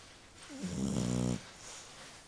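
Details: Dog snoring: a single low, buzzy, rattling snore lasting under a second, with quiet breathing before and after.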